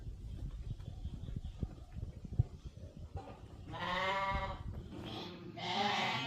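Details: Hisor lambs and rams offered for sale in a village in Namangan district, Uzbekistan. Low rumbling handling noise comes first, followed by a clear harmonic bleat about two-thirds through and another near the end.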